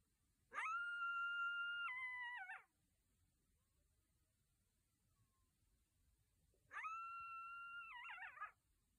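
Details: Night-time coyote howls: two drawn-out, clear howls, each holding a level pitch before dropping and breaking into a wavering, yodel-like tail, separated by several seconds of near silence.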